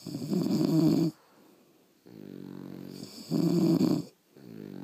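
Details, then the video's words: French Bulldogs asleep at home, snoring heavily: two loud buzzing, rattling snores of about a second each, each followed by a quieter, smoother breath, in a steady slow cycle with nothing else heard. "Snoring French Bulldogs"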